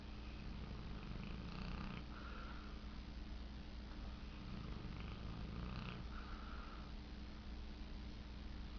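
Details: Tank the dog, asleep and dreaming, makes purring, rattling snores in two short bursts a few seconds apart, over a steady low background hum.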